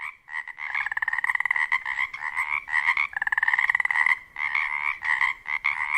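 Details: Pacific chorus frogs, breeding chorus on the Olympic Peninsula, Washington: overlapping raspy, pulsed two-part croaks repeated rapidly as males call and females pick out their mates.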